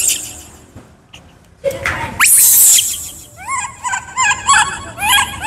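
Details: Hungry baby monkey Kaka, described as wild, begging for fruit: after a loud crash of noise, a string of short, high, bending squeals repeated in quick succession.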